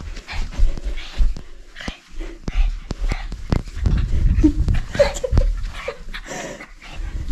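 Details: A playful pet dog, called crazy by its owner, pants in quick rhythmic breathy bursts with heavy low rumbling handling noise and a few faint voiced snorts throughout.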